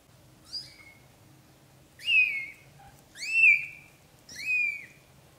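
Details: Young British shorthair kittens from a litter of four (Iris, Lotus, Berry, Lily), filmed during their first 30 days: three loud, high, arching mews with rich overtones about a second apart, after one short faint cry, over a low hum.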